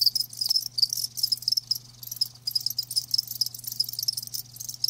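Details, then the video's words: Live crickets trill in rapid high-pitched bursts, chirps arriving in clustered runs with brief pauses between them, several callers overlapping, and a soft low hum beneath. "Live Crickets 60min "Natural Sound""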